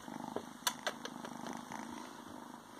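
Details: A Ragdoll kitten, male and newly adopted, purrs from his hiding spot inside pants; a low throbbing rumble with a few crisp ticks and light rustles over it.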